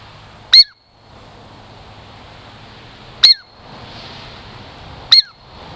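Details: Girl Squirrel, a pet Douglas squirrel from the Puget Sound lowlands, coming close for a treat gives three sharp, high chirps, each sliding downward, spaced a few seconds apart over low background hum.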